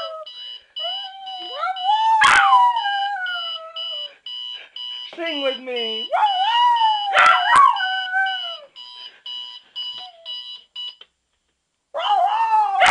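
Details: Dog named Sonny howling along with an alarm clock: several long, descending, quavering howls with brief sharp yelps between, a steady high alarm beep running beneath, and a short pause near the end.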